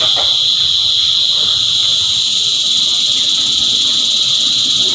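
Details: Steady shrill whine of a cicada choir, unchanging and loud from start to finish, with one brief sharp note near the opening.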